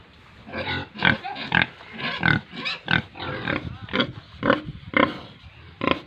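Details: Farm pigs and piglets in Tripura grunt repeatedly, roughly two rough, noisy bursts per second, some with brief squeaky tones, over a low background murmur.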